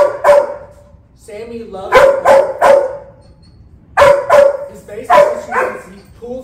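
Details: One-year-old Golden Retriever in off-leash obedience training in Georgia, a young dog that pulls on the leash, mouths and jumps up on people; clipped barks, single and in quick runs of two or three, between a trainer's spoken words.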